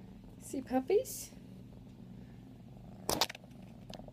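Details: A 5-month-old female F1 Savannah cat purrs in a steady, low, continuous rumble while being held and moving around playfully, as a person speaks briefly.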